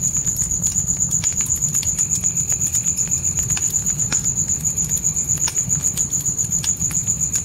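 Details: Night crickets in a dark forest give a steady high pulsed trill, about four pulses a second, over deep constant crackling and popping of a campfire inside a tent, with a low rumble beneath.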